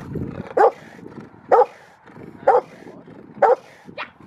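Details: Rottweiler Freya vh Odoms at the Victoria Rottweiler Club, February 15, 2020, giving deep single barks repeated roughly once a second, four evenly spaced woofs followed by a higher, thinner yelp at the end.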